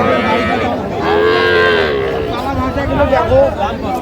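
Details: Young cattle at a livestock market near Dhaka, Bangladesh, where bull calves and heifer calves are being bought; a drawn-out moo rises and falls over about a second, with market chatter, haggling voices and background music around it.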